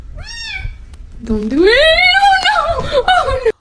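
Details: Domestic cat meowing twice: a short, falling mew, a pause, then a long, loud, drawn-out meow that rises slowly, holds, and wavers downward at the end. The room is otherwise quiet.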